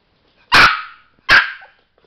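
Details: Sparky, a pet Chihuahua indoors pressing for a light to come on, gives two sharp high barks nearly a second apart, each with a short fading tail, in a quiet room.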